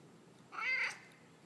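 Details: Peyton, a talkative male pet cat living with another cat named Bert, answers his owner's questions about his day with a single drawn-out meow that rises and then falls, lasting about half a second, in a quiet room.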